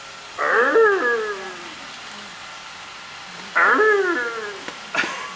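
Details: One-month-old tiger cubs playing in a cage: two loud descending wailing calls, harmonic-rich and sliding downward, about three seconds apart, followed by a brief harsh burst.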